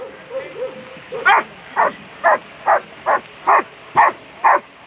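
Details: German Shepherd at a World Championship agility event; a short whine, then eight evenly spaced, sharp barks about every half second.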